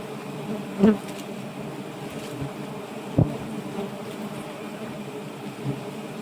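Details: Giant honey bees humming steadily as their nest is taken for honey, a constant low drone of stacked tones, punctuated by two sharp knocks and a softer thud.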